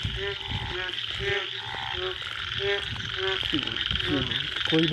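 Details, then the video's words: Indian wild frogs calling in a forest late at night after the first rain, a mating chorus: short nasal, harmonic croaks repeated in quick bursts by several frogs, over a steady high insect buzz and low background rumble. "Sound of Indian Frogs after first rain late night जंगली मेंढकों की आवाज पहली बारिश के बाद"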